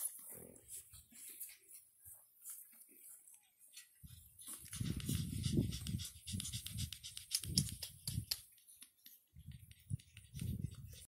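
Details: Nine-week-old pug puppies, born August 17, 2019, playing in Cheyenne, Wyoming. A nearly quiet opening with faint sniffs gives way to irregular clusters of snorting, panting grunts and scuffles. After a short pause, the bursts return toward the end.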